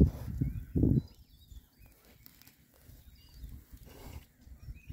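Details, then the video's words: Six rare-breed Oxford Sandy and Black pigs, all boys, happily foraging outdoors in winter between storms: a couple of deep, short grunting oinks at the start, then quiet rooting noises with faint birdsong chirping in the background. "rare breed Oxford Sandy and Black, happy pigs, winter forage. 6 boys. ASMR oinks."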